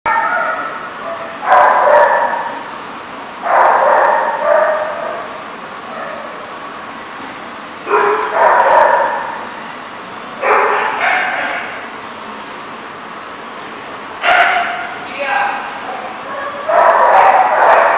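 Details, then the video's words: Dogs barking, recorded 29 August 2014; harsh bursts of several quick barks come every two to three seconds, with steady background noise between them. "The Barking Lot"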